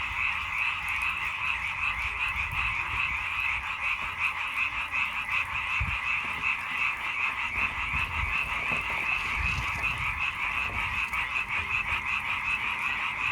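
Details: A frog chorus of rapid, overlapping croaks keeps up a constant rattling buzz throughout, with a few dull low thumps and bumps mixed in near the middle.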